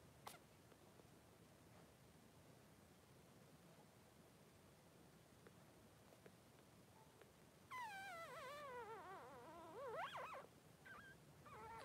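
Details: Three-day-old newborn Blenheim Cavalier King Charles Spaniel puppy, one of two boys in a whelping pen with mother Pom-Pom. Near silence, then from about eight seconds a high, wavering squealing whine slides down and up, followed by brief squeaks.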